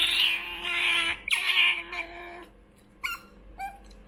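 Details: A hand-raised young female otter pleads for food with a long, shrill, nasal squeal lasting over two seconds, broken briefly in the middle, followed by two short high chirps after a pause.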